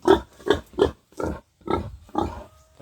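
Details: Series of six quick, husky pig grunts from a backyard pen where a future breeding sow is kept. The first three come rapidly, then the pace slows, and a faint steady tone hums near the end.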